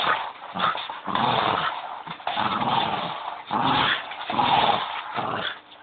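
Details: Leo the Bichon growling steadily while playing with his squeaky bone, a dense throaty rumble in long swelling waves almost without gaps, with a faint squeak near the end.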